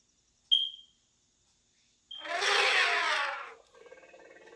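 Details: Elephant, described as the largest of the wild animals: a short high tone, then a loud broad harsh trumpeting blast of about a second and a half, fading into a low rumble.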